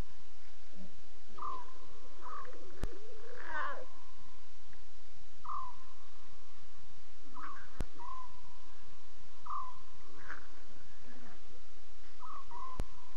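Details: Lion cubs talking at night, around 2:40 a.m. Short, level-pitched mewing calls come about every two seconds, with a few rougher, louder cries between them, over a steady background hiss.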